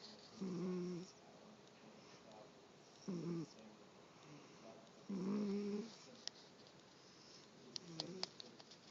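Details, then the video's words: Female house cat making snoring sounds while awake: a series of short, coarse, low snores roughly every two seconds, followed by a few faint clicks and rustles. "Luna roncando acordada"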